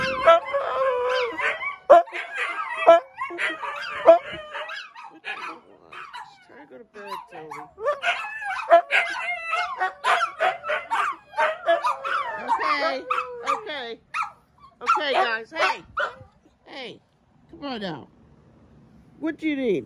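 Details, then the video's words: At 1 AM, Tony the pet Siberian Husky keeps up broken howls, yips and whines while his owner talks back to him indoors; the vocal bursts grow choppier and thinner toward the end. "1 AM wake up song"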